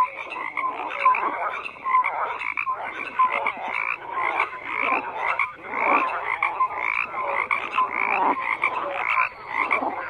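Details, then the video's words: Continuous croaking from a crowd of frogs, rasping pulses and short bright notes overlapping in uneven bursts with no pause. "FROGS CROAKING"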